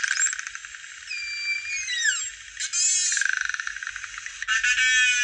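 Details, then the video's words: Narwhal song: high gliding whistles that fall and cross each other around the second mark, then a rapid pulsed buzz near three seconds and further rasping, clicking pulses to the end. "Canto del Narvalo"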